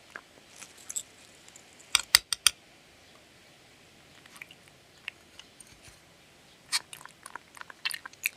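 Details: Dog eating, close-up recording without talking: sparse crisp crunches, a tight burst of three sharp bites near two seconds, long quiet gap, then more crunching toward the end.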